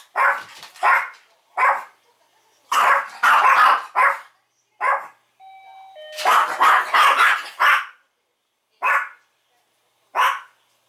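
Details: Chihuahua at home barking wildly whenever the door chime rings, untrained against barking: a run of sharp, shrill barks in bursts, with a short electronic doorbell chime sounding partway through and rapid, near-continuous barking right after.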